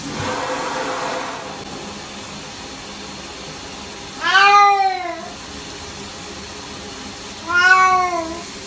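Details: Domestic cat being given a bath, uttering two loud drawn-out meows about three seconds apart, each arching slightly in pitch with rich harmonics, against a quiet indoor background.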